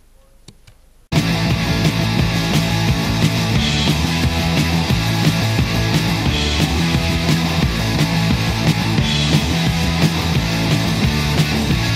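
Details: Loud, steady rock music with heavy drums and distorted guitars after a second of near silence; no howling or other animal sound.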